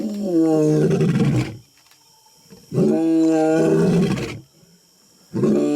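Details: Lion close up making loud, drawn-out roaring groans, two full calls of about one and a half seconds each plus the start of a third, harmonic and harsh.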